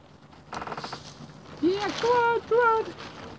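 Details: Newborn Barbados Mouflon cross lamb at Gray Sheep Ranch, just after birth, gives three short clear tonal bleats in quick succession, the first rising and the next two held level, following soft rustling and a person's quiet encouragement.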